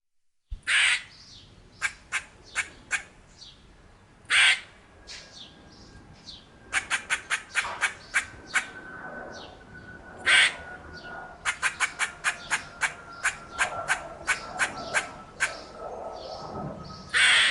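A squirrel gives quick runs of dry clucks broken by harsh, noisy squawks.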